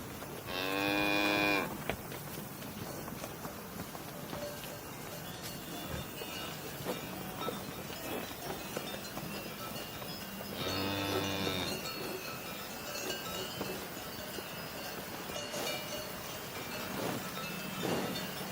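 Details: Cow mooing twice, a harmonic-rich moo near the start and a second, lower one about ten seconds later, with a faint, busy outdoor background between calls.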